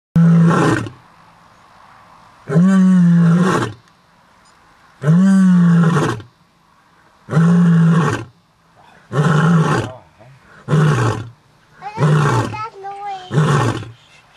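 A white lion gives a bout of deep, moaning roars that shorten into quicker grunts toward the end.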